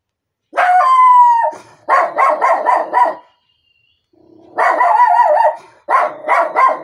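A Miniature Schnauzer gives a drawn-out whine, then bursts of rapid, sharp, raspy barks.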